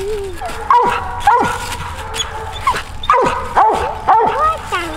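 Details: Dogs on a family coon hunt, a mountain cur and a Walker female, give abrupt barks about once a second amid steady background noise and some talking.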